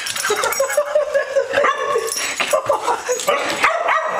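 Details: Maverick, a two-year-old female Staffordshire Bull Terrier, protests her Sunday night bath with short, choppy whines and grumbling yips, broken by splashing noise and a person's coaxing voice.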